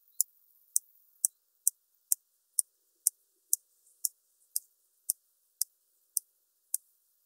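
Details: Large marsh grasshopper (Stethophyma grossum) singing in Elsbethen, Austria, on 26 September 2021, with sharp, dry ticks evenly spaced about twice a second.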